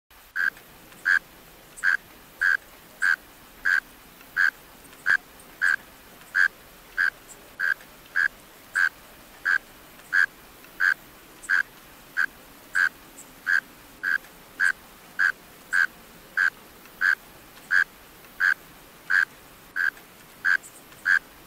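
A mole cricket gives short, buzzy pulses, steady and evenly spaced, about one and a half each second.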